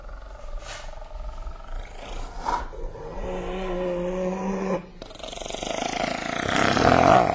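A hyena gives a low, drawn-out moaning call with a hoarse, rough edge.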